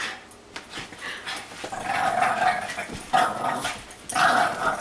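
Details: A Boston Terrier gives rough, tonal growling vocalizations in bursts while play-fighting with a Great Dane.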